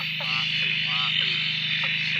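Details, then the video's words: Frogs calling at night at a dam near Drake after several days of steady rain, waking from silence: a dense, continuous high chorus with repeated short harmonic croaks and downward-sliding calls over it, loud throughout. "Frog chorus after the rain"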